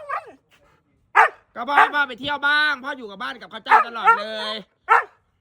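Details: Siberian Husky greeting its returning owner at home, giving drawn-out, wavering howl-like moans that rise and fall, mixed with a man talking and laughing over it.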